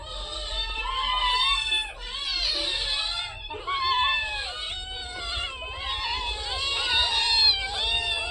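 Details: A crowd of cats about to be fed fish keeps up a dense chorus of high, wailing meows, calls overlapping almost without pause, with one short break near the middle.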